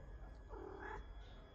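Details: A pet cat named Charlie Chaplin answering its owner in cat language: a single soft, wavering meow rising and falling over about half a second, over a low steady background hum.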